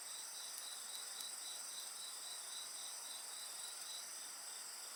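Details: Several insects call together next to a campfire, with unbroken shrill whirring on top and a lower beat of quick chirps near four per second, while light wood crackles tick now and then.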